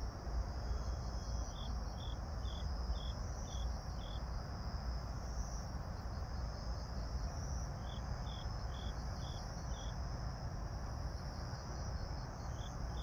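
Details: Grass insects on an autumn evening, 26 September 2022 at 18:46, under a pink night sky: bursts of short high chirps about twice a second, a steady thin high hum above, over a constant heavy low rumble.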